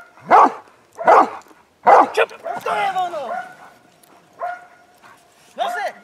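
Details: Hovawart in winter protection training, 26 January 2014, barking at a helper and practising obedience in defence; three strong barks roughly a second apart, then a handler's spoken commands with a few more barks mixed in.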